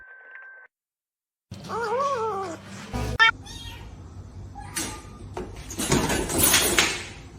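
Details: Domestic cat giving a wavering, drawn-out meow that bends up and down in pitch, amid a busy mix of background music, laughter, talking and screaming, with other short noisy bursts.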